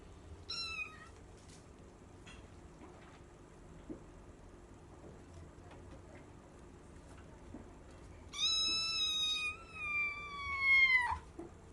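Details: Bengal cat indoors on the third day after meeting another cat: a brief high meow, then after a long quiet pause a drawn-out, slowly falling harmonic meow of nearly three seconds.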